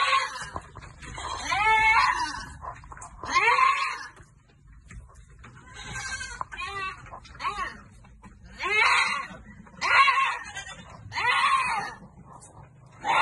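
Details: Farm goats being given vitamins bleat loudly and repeatedly, wavering nasal cries about every one and a half seconds, each rising then falling, with several animals overlapping and people talking faintly in the background.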